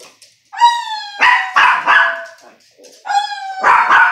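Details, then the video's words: Dog at home, with its owner trying to get it to howl: a sustained, steady tone with rich overtones, followed by loud rough barking bursts, then another held tone and more bursts. "My mom trying to make my dog howl"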